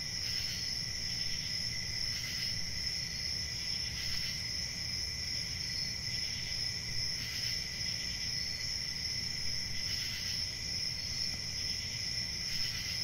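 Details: Night crickets sing in an unbroken high trill, with louder pulsed bursts returning roughly every two seconds against a faint low hum.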